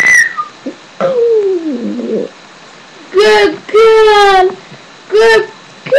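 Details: A pet Shih Tzu named Daisy howling: a long sliding, descending wail, then two held, harmonically rich howls and a shorter final one, separated by brief pauses in an indoor room.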